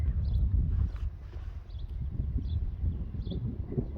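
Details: Young Friesian horses turned out again onto a meadow that has dried after rain, enjoying being outside; dull, irregular thudding of hooves on soft ground, with faint high bird chirps above.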